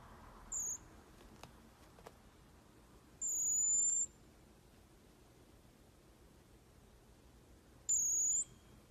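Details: Baby pygmy marmoset, a pet being brushed, utters three piercing high whistles: a short one, then two longer level ones several seconds apart, with faint clicks between.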